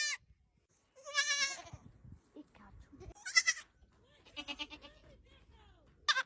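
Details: Young goat kids cry with high, tremulous bleats of varying length, mixed with softer murmuring that sounds like human voices and some low background noise.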